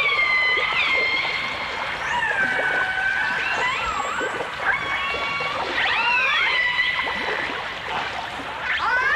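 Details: Long, smooth dolphin and orca whistles from a 1989 stereo recording: gently curving tones that bend down then level off, layered with higher bright notes and a few quick upward flicks, with constant low hiss.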